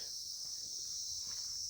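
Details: Crickets keep up a steady, high-pitched ringing trill in the otherwise silent late afternoon of 10 November at Dawaipani, near Darjeeling in the hills.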